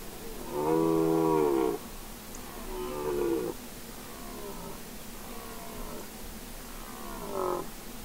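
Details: Red deer rutting roars on Mont Lozère, Cévennes National Park, France, in 2016: a strong drawn-out harmonic bellow, then a series of four weaker, shorter roars, some from more distant stags.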